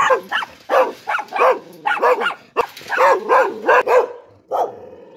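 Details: Dog barking in short bursts, each bark carrying a clear yelping rise and fall in tone, grouped in twos and threes with brief gaps and a final single bark after a pause.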